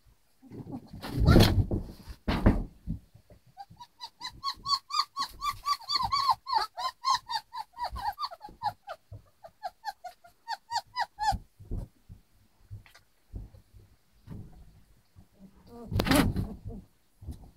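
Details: Eleven one-month-old puppies kept with their mother in a kennel; a rapid series of high whiny yelps and whimpers, about twenty in quick succession, between low rustling and handling noises.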